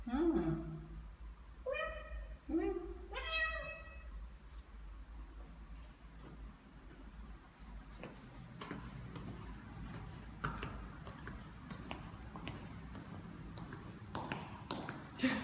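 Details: Seven-month-old neutered Ragdoll cat named Ao, walking outdoors through a newly occupied apartment complex in Korea; two short, tonal meows rise in pitch in quick succession, followed by soft footsteps, with a human voice briefly at the start.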